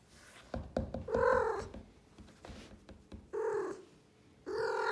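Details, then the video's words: Blue Maine Coon girl Suki chatters indoors: a quick run of clicks and chirps, then a clear falling meow, followed by two more rising, talkative meows, with light handling noises between calls. "Talking Cat ( Blue Maine Coon )"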